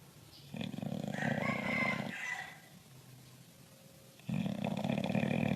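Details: Bulldog snoring in loud, rough, rasping bursts: a long snore from about half a second to two seconds, a quieter pause, then another loud snore starting near four and a half seconds.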